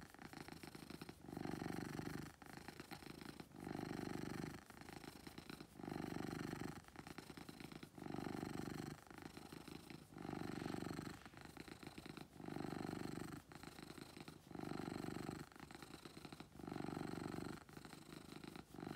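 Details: Loud purring from a house cat called Beetle, a deep continuous rumble rising and falling with each breath, pulses of about one and a half seconds repeating evenly with short dips between, indoors.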